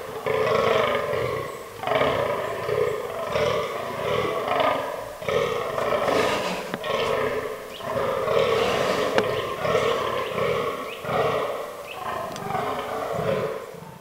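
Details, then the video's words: Fallow deer buck in rutting season, autumn forest, groaning almost nonstop over fourteen seconds: throaty, pulsing belches in long chains with few breaks, and a couple of sharp clicks partway through. "Fallow Deer Rut 2022"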